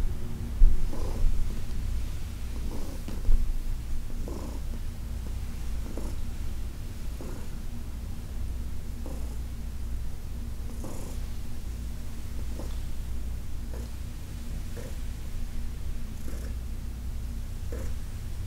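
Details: Senior cat Heidi, once a Humane Society of New York City shelter resident, purrs while being massaged in August 2021; low continuous rumble with faint rhythmic breath accents about every one and a half seconds.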